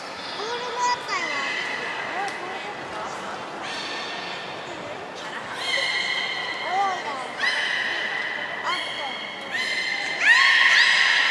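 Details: Training session with belugas Gray, Nana and Nico at Port of Nagoya Public Aquarium, 14 October 2019. Repeated steady whistled tones with rich overtones recur every second or two, interspersed with short upward chirps, in an echoing indoor space.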